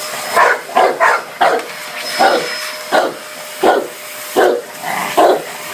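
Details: A Dogue de Bordeaux barks at a hoover in bursts of short, gruff barks, some in quick pairs, roughly 80 a minute, against a continuous vacuum-cleaner drone with a thin high whine.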